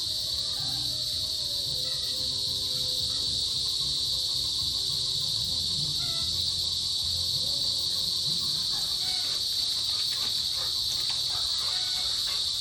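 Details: Chorus of a small cicada species out in the rainy season, males buzzing to call females in the mid-afternoon: a steady, unbroken high-pitched drone that never pauses, with faint low background sounds beneath it.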